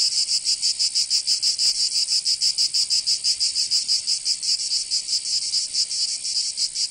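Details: Cicadas in Provence, southern France, singing in summer: a shrill, high buzz throbbing in distinct beats of about four per second, steady and continuous over the whole stretch.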